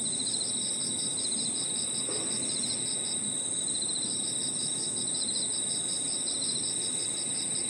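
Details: Crickets and other insects calling together in an evening park: a sustained high-pitched ring, a beaded pulsing trill interrupted near the middle, and a steady lower buzz, with a quiet rumbling background.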